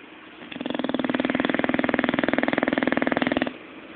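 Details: Zé, a pet Bulldog, snoring while sleeping and dreaming indoors: a single rough, buzzy breath about three seconds long, made of a fast, steady rattle of vibrations, with quiet room tone before and after.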